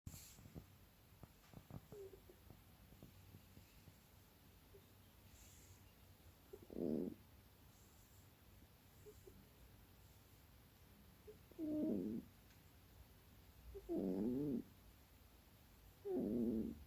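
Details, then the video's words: Keksi, a female pet cat, makes soft sounds while asleep and apparently dreaming: four short, wavering, moaning murmurs spaced several seconds apart, the last three closer together, over a quiet indoor hush. "Keksi makes funny noises while sleeping"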